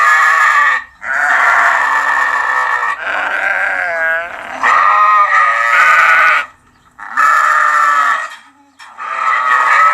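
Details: Sheep, lamb voice, giving long, high, wavering bleats in a near-continuous run, some with a quavering vibrato, separated by short gaps.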